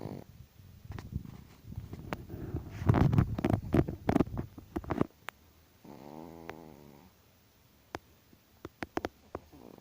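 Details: Chihuahua dog snoring loudly: rough, rumbling bursts of breath for about five seconds, then one buzzy, harmonic snore, followed by faint clicks and near quiet.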